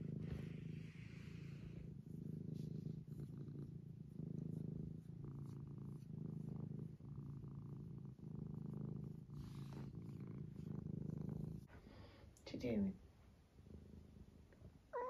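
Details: Sleepy pet cat Eric purring while lying in bed, a continuous low rhythmic rumble of in-and-out breaths for about twelve seconds, then a short human voice near the end.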